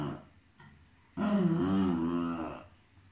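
A Cairn Terrier gives one drawn-out, wavering vocal growl lasting over a second, low and voiced.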